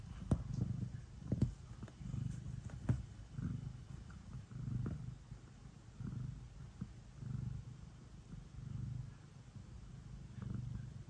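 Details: A pet cat purring before bedtime as it kneads. A soft, low purr rises and falls in a regular breathing rhythm, about one swell per second, with a few sharp ticks early on.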